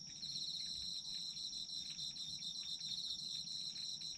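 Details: Chorus of autumn insects, a continuous high shrill tone paired with a rapidly pulsing trill just beneath, unbroken throughout, with faint low rumble underneath.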